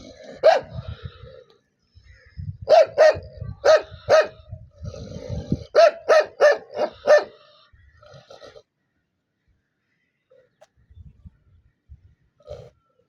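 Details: Angry dog letting out loud barks in uneven bursts, a single bark, then two clusters of four or five quick barks, low growly rumble beneath, fading into near silence with a faint final yip.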